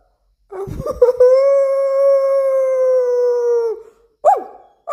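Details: Bangkaew and Rottweiler dogs howling after their owner's voice. A few scrappy sounds lead into one long, pure, level howl lasting over two seconds and fading downward, followed by a short yelp.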